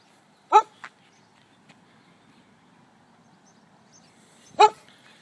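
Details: Holly, a Welsh Springer Spaniel, out on a walk in June 2013, gives two sharp, loud barks about four seconds apart, with a short softer yelp just after the first, against an otherwise quiet background.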